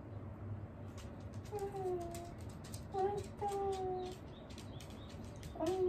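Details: Whining from Wanta, an aged pet dog in care, during the morning routine: thin, level, whistle-like whimpers that come in short runs of three, with faint clicks and room noise behind them.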